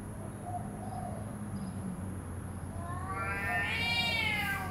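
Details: Cat standoff: low rumbling murmur at first, then a loud strained yowl surges in near the end, rising in intensity with a harsh edge.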